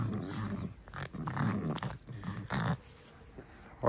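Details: Pet fox indoors pretending to be fierce while being stroked: rough low growling grumbles in repeated bursts about a second long, with a person's voice and clapping nearby.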